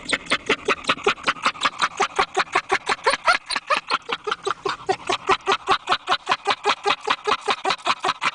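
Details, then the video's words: A laughing dog gives fast, steady breathy huffs, roughly two and a half per second, each a short voiced burst with bright overtones, continuing without a break. "Dogs Laughing"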